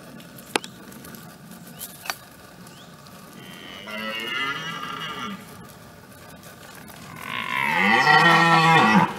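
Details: A red deer stag in France gives two deep, drawn-out roars during the autumn rut of 2017.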